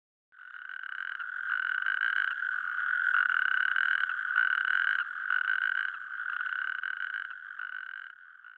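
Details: A natterjack toad, one of Germany's loudest amphibians, whose calls carry up to a kilometre in May–June, gives its loud, rolling, rattling mating trill, held for several seconds.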